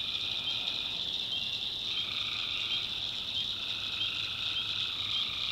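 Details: Tree frogs at night in the backwoods of North Carolina, a constant high-pitched trilling chorus with short bright chirps on top and a lower band of calls rising and falling.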